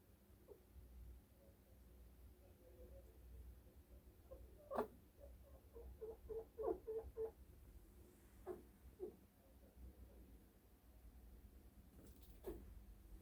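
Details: Kiki, a pet chinchilla at home, hiccuping one morning: soft, short squeaky hics, a quick run of about eight between six and seven seconds plus scattered single ones, faint against a quiet indoor room with occasional handling knocks.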